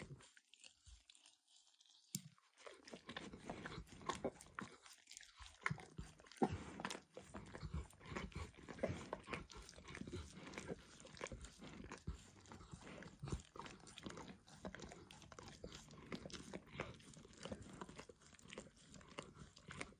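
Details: Dog enjoying a bumpy orange lick mat coated with food: after a brief quiet start, a steady stream of close, wet, crackling lick sounds continues without pause, no voices.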